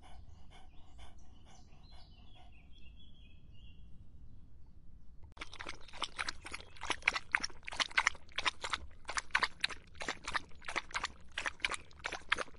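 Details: On a hot summer day a dog laps water: after a quiet start with faint, high, chirping tones, brisk, splashy lapping begins midway and continues in fast regular strokes, nearly four per second.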